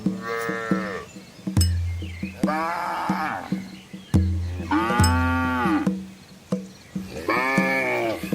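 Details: Large herd of red village cows and their calves wading across a small river in the Asian countryside, lowing repeatedly: four rich, wavering moos in quick succession over sharp knocks and a low drone.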